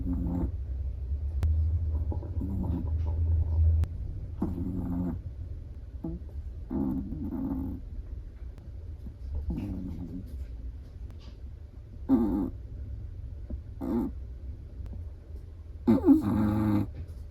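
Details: Sleeping black-and-tan Chihuahua snoring while relaxed: short nasal snore bursts with a buzzy low tone, some soft and some stronger, recurring every one to two seconds over a steady low indoor hum.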